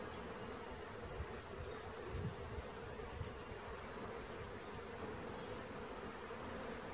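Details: Swarm of bees being collected, a sustained steady buzz at a single pitch, with a few low thuds around the second and third seconds.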